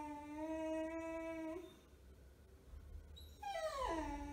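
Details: Resentful six-month-old male beagle puppy, just desexed and wearing a cone, holds a steady low howl for about one and a half seconds, pauses, then gives a high whine that swoops down into a lower moan.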